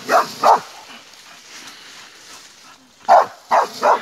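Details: Bull Terrier attacking a wild boar: short, sharp barks in a pair, then a quiet gap of over two seconds, then three more barks in quick succession, with faint background hiss.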